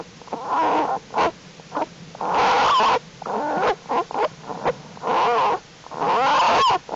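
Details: Jewel's black bear cubs in the winter den on a warm late-January day, growing stronger and crawling around; harsh wheezy squalls and bleats in repeated bursts, some wavering, with brief gaps of quiet.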